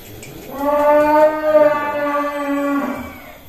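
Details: A large bull nicknamed Si Plonco, described as a monster, being led out of its pen at Kelonthong Farm in Indonesia; one long, steady, deep moo with strong harmonics lasting about two and a half seconds, faint background noise.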